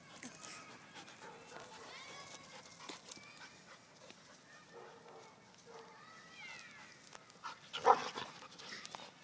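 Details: Adult dog and puppy facing off; thin high whines and whimpers come and go, then one sharp loud bark near the end, with quiet human voices in the background.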